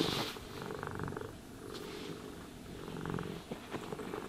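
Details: Cat purring during brushing and grooming, the low vibrating rumble coming in two clear surges separated by a quieter stretch, with light brushing scratches toward the end.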